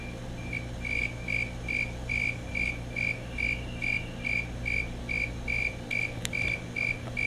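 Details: Calling male Fulton's tree cricket (Oecanthus fultoni) giving a steady series of clear, high-pitched chirps, about two or three per second, each short pulse evenly spaced, over a low background hum, with a brief click near the end.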